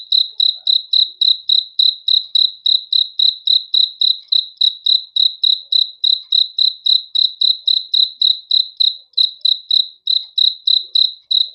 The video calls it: THE SOUND OF CRICKETS FOR RELAXATION TO SLEEP AT NIGHT